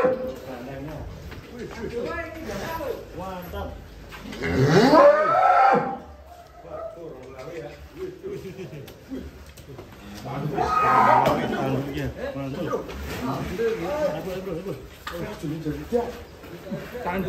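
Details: Large sacrificial bull called Ronggolawe, a 'monster' cow in Indonesia, being brought out of its pen. Two loud, drawn-out moos, each about one and a half seconds, near the fifth and eleventh seconds, with men talking throughout.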